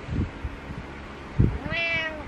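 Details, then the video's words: Pet cat on a pillow in the morning giving a single long, bent meow toward the end, after a few soft bumps and rustles in a quiet room. "Morning Meows On Pillow"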